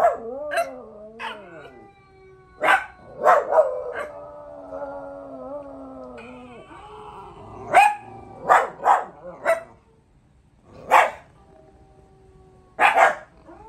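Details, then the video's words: Pet pups answer a dog howl challenge: drawn-out, wavering harmonic howls lasting several seconds, broken up by sharp, loud barks and yips scattered throughout. "Dog howl challenge"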